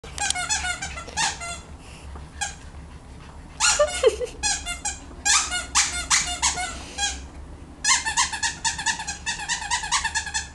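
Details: A Cavalier King Charles Spaniel puppy playing with squirrels gives bursts of high, thin, squeaky yelps in quick runs.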